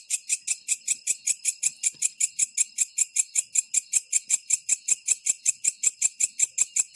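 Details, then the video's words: Green katydid calling at night, an odd rattling sound heard in the dry season: steady, evenly spaced high buzzy pulses, about two and a half per second, with no other clear sounds. "suara aneh gemericik mlam hari ternyata bunyi belalang kecek ijo"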